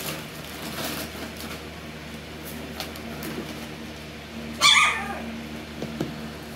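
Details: Alaskan Klee Kai puppies: after a quiet stretch, one short, high-pitched yelp rings out with bright stacked overtones and falls away quickly, followed by a few soft taps against a steady indoor hum.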